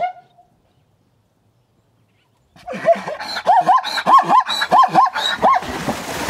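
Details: Wild zebra at a water hole in Kenya, captured by a hidden recording rig, giving a rapid yapping bray: a series of about a dozen sharp, rising-falling barks repeated over three seconds after near silence.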